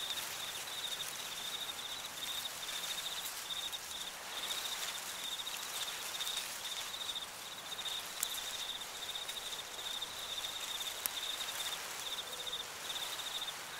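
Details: Crickets singing in an autumn cornfield at sunset, a steady high pulsing trill running without pause, with a soft rustling wash of wind and corn leaves beneath and a couple of faint clicks.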